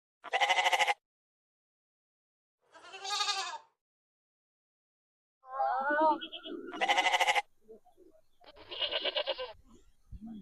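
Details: Goats, including a kid, reacting to a goat sound played to them: loud, quavering, nasal bleats in separate bursts about a second long, with quieter wavering calls and a shorter bleat near the end, otherwise quiet.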